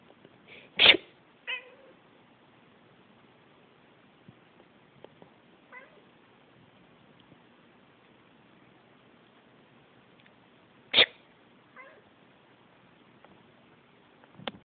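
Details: Pet cat that hates sneezing voices its complaint: a loud abrupt meow early on, a softer follow-up, then long quiet before another sharp cry and faint trailing calls.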